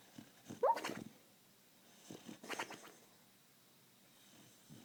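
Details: Sky the Beagle, asleep and dreaming, gives one quick rising yip, then breathy, huffing snore-like sounds come in two bursts before a quiet stretch.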